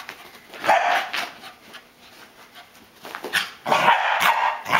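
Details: A corgi chasing a flashlight beam and spinning in circles gives short, excited barks in quick bursts, with quieter gaps between them.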